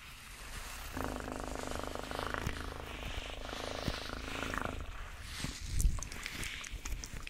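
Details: Cat's low, continuous purr runs for nearly four seconds under a bed of rustling, hissy background noise, with scattered soft knocks afterwards.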